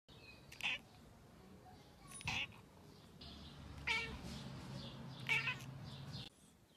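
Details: Black domestic cat at home giving several short meows spaced about a second and a half apart, bright and mid-pitched, over a steady low hum.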